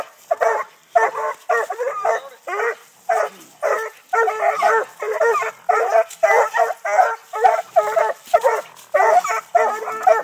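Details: Young Treeing Walker Coonhounds, six months old, baying at a live-trapped raccoon on a tree during hunting training in Texas; steady bursts of hoarse, choppy barks, close to two per second, from more than one pup, with brief gaps between volleys.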